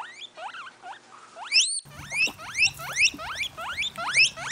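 A guinea pig squeals in quick, shrill upward sweeps, repeated two or three times a second.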